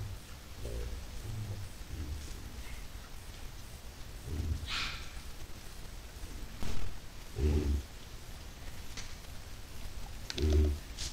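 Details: White-lipped peccaries heading toward a salt lick on 10 July 2022; a few deep, low grunting bursts come at irregular intervals, the loudest near the end, over rustling and a steady rain-like hiss.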